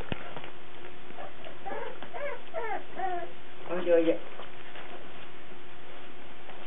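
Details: Cardigan Welsh Corgi puppies filmed 17 March 2008; a few thin, wavering squeals around the middle then a brief louder squeaky yelp, against constant low electrical hum in a small room.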